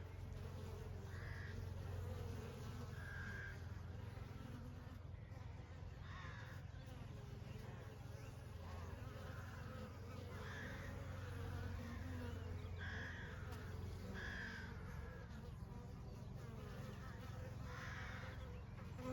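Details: Honey bees in summer: a dense, steady low hum of many wings droning without pause, with soft higher chirps from distant birds surfacing now and then above the buzz.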